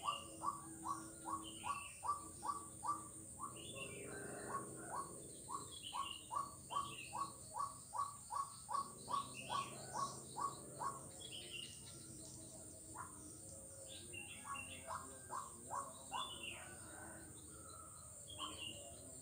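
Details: Kuala Kapuas frog, Central Kalimantan, taped on Jalan Kolonel Sugiono on 4 November 2021: long bursts of brief rising notes, about two or three per second, pausing and resuming, with higher chirps and steady shrill background hiss.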